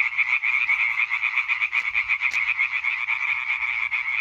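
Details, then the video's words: Chorus of European tree frogs, 20 May 2023: fast, pulsing nasal croaks repeated about four times a second, overlapping callers forming a throbbing, steady rhythm, with one brief click partway through. "Hyla arborea Konzert Concert"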